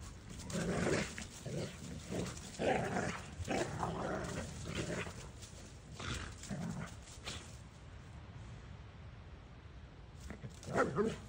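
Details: Two dogs, a Doberman named Kai and a boxer/bulldog named Maddie, playing to burn off energy; dense low growls and huffing bursts through the first half, quieter rustling after, then a final growl.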